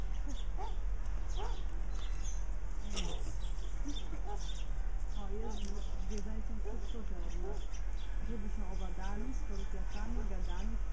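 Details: Meerkats (Suricata suricatta) give short, squeaky chirps and peeps that overlap in a busy, chattering stream.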